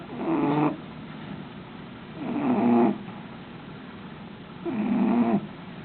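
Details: Sleeping dog Gracie snoring away: three loud, drawn-out raspy snores with a wavering nasal tone, each about half a second to a second long, spaced around two seconds apart.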